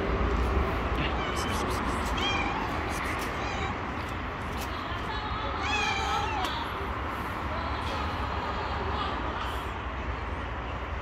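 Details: A stray domestic cat living on the street gives soft, gentle meows as it approaches, asking for food, against steady low background noise.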